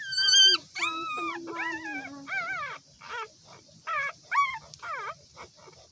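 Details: Newborn puppies crying: a run of high, wavering whines with rich overtones, one held low moaning note for about a second, then shorter rising-and-falling squeals separated by brief pauses.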